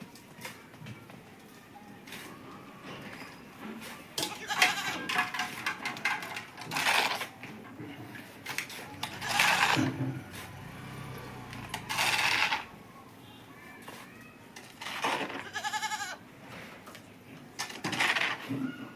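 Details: Goat on a farm eating green fodder, giving several short wavering bleats at irregular intervals, with chewing and rustling noises and brief human speech in the background.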